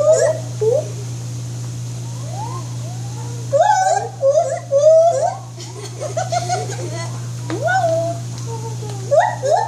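White-handed gibbon giving a series of rising and falling hooting whoops over a steady low hum.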